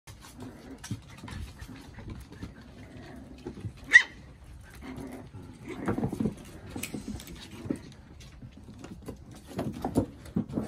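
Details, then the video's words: Sibling puppies at play, one having just climbed a slide: low rumbling growls and scuffling bursts throughout, a single sharp high yelp partway through, with quiet bumps and shuffling between the play noises. "More play with Pups"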